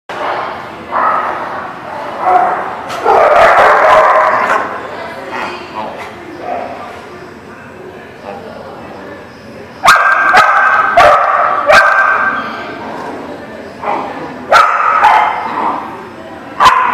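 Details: Dogs at a dog park, recorded 23 July 2018: bursts of barking and yipping in irregular clusters, some loud close barks around the middle and end, with people talking in the background throughout.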